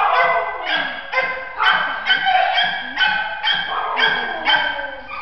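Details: Shelter terrier mix, four years old, male, described as scared of people; a run of about nine harmonic, slightly whiny barks roughly every half second, each with a falling tail, close and loud.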